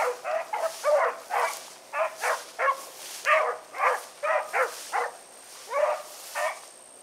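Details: Hounds of the Blackreek pack (Choco, Dino, Johnny Ringo, Mingo) running in the evening of 16 August 2014: loud, hoarse barks in short bursts, roughly two per second, mixed voices, thin steady hum above.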